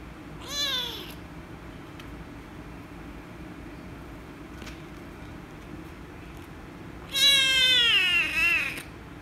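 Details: Rescue kitten meows loudly and angrily while being petted: a short falling meow, a long silent gap with faint clicks, then a louder, drawn-out cry of over a second that wavers and descends.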